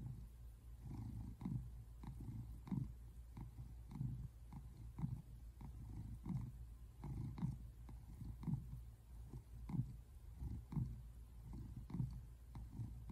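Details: American Shorthair tabby named Simon relaxing on the couch, February 8, 2024, purring in a deep, buzzing rumble that swells in a loose repeating rhythm of close breath-paced pulses.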